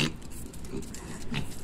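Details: Mini pig doing tricks in Medellín, moving through a figure-eight routine; a brief, soft, low grunt among light footsteps and clicks, with a short spoken command nearby.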